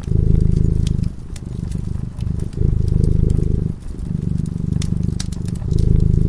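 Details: Fireside cat purring in its sleep: a loud, gravelly low rumble in long swells broken by short pauses, accompanied by light crackles and snaps from the flames.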